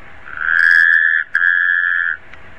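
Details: A single Taipei tree frog call, a loud, steady, tonal note lasting nearly two seconds and interrupted once by a tiny break, against quiet surroundings.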